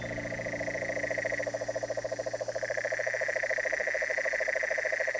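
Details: Toads in a riverbank chorus in Pacific lowland tropical forest west of the Cordillera de Talamanca, Costa Rica, give a steady, fast pulsed trill of low, throbbing notes, about three pulses a second, under a loud, shrill drone of insects.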